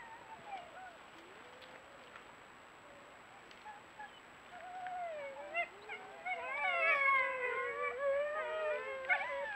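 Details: Group of coyotes greeting each other, then playing chase and growing noisy: wavering, sliding yips and whines start sparse and faint, then swell into an overlapping chorus of rising and falling yelps and high squeals.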